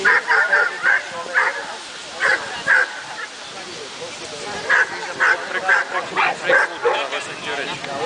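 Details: Dogo Argentino at the Dogo Argentino Club Hungary show in Székesfehérvár, Hungary, 18 May 2013, young males class: sharp, clipped barks in quick bursts, a lull midway, then renewed barking over murmuring voices in an echoing hall.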